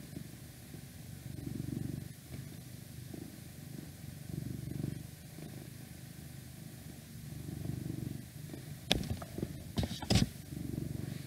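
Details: Cat purr, deep and rumbling, rising and falling in slow breathing cycles, interrupted near the end by a few sharp clicks and rustles, with faint outdoor background noise from an open window.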